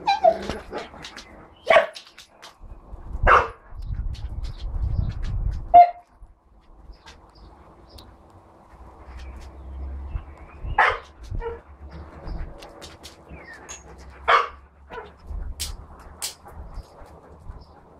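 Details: Huskies, a litter of four-week-old pups together with adult dogs, give sharp yelping barks in scattered bursts, several close together early and then others spaced several seconds apart, over a low hum with quiet stretches between.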